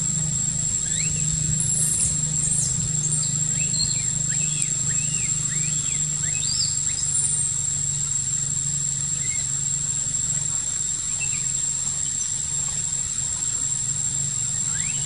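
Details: Baby macaque Quinton in a park, crying after rough handling by his sister monkey: thin, high arched squeals scattered through the clip, some rising and falling, over a steady low hum and constant background noise.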